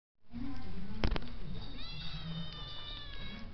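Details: Toy poodle giving a drawn-out, tonal whining call that rises and then holds steady over steady low background noise, with two sharp clicks near the start.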